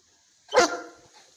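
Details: Boerboel dog at a certified breeding kennel in Ilorin, Kwara State, Nigeria, giving one short, loud, rough bark with a harmonic-rich burst that fades within half a second, followed by near silence.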